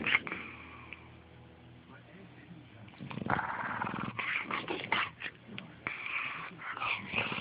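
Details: Lazy English Bulldog sleeping and slowly waking up in the morning: a low, droning, harmonic snore for the first three seconds, then louder breathy snorts and snuffling bursts as the dog stirs, indoors.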